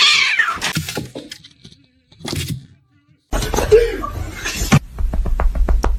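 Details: Kitten crying with a loud, sliding meow at the start, then quiet gaps, a short cry, and later thumps and clicks under a person's voice.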